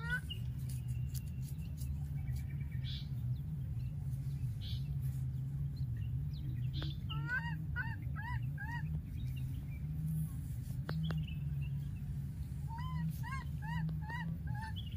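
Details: After losing its playmate, a young wild monkey keeps calling: clipped, bent whistle-like cries strung in fast series, one run midway and another near the end, with a constant low hum beneath.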